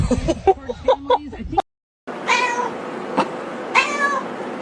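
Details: Domestic cat giving drawn-out, wavering meows with clear harmonic bands, two long calls after a brief cut, following a stretch of people laughing and exclaiming.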